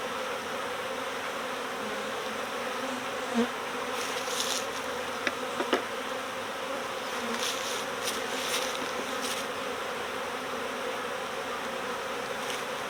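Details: Swarming honeybees clustered in a bush during a recovery at swarm season; a steady, even drone of many wings, with occasional louder buzzes as single bees fly past and a few faint clicks.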